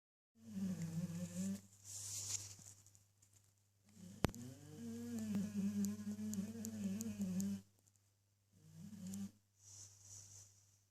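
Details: A sleeping English bulldog snores in long, droning, nasal breaths, with a steady electrical hum underneath. English Bulldog.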